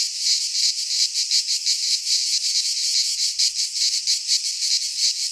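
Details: Cicadas in a pine forest in Greece at midsummer, giving a harsh high-pitched rasping buzz that pulses in uneven waves, close to three beats a second.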